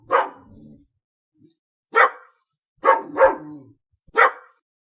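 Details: Five loud, abrupt dog barks, spaced about a second apart, with a quick double in the middle. Some barks end in a low humming tail.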